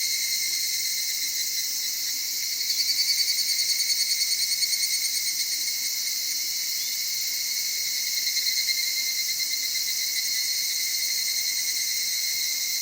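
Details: In the Okutama highlands of Tokyo, an evening cicada sings amid cedar forest and mountain streams at dawn or dusk: a sustained high-pitched whine with pulsing surges around the third and eighth seconds over a constant insect background.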